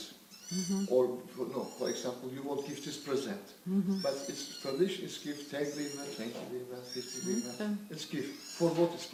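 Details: One-month-old Scottish Fold kittens from a family cat's litter, giving thin, high-pitched meows that arch up and down, repeated over and over, often overlapping a man and others talking close by.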